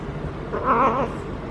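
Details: Single wavering, tremulous yowl about half a second long from a feral female cat in her first heat cycle, rolling while being petted, over a low background hum.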